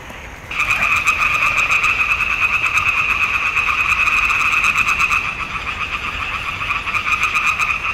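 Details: Swamp pond frog chorus recorded in June 2021: after half a second of quiet the croaking bursts in loudly, a dense, rapidly pulsing two-pitched drone that continues steadily to the end.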